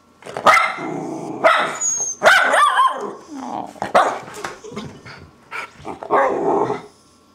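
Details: Two miniature schnauzers at home go crazy with joy as their owners return, giving a burst of excited barks, yelps and whines, some high and squealing, with a woman talking to them in a small room.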